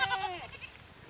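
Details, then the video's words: Domestic goat at a ranch giving a single loud, nasal bleat that slides downward over about half a second, then fades into quiet background noise. "Goat Song"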